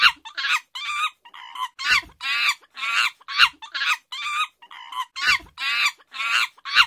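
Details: Chimpanzee calling in a rapid series of coarse, hoarse shrieks, some longer and wavering, others clipped, with brief gaps and a few low knocks underneath.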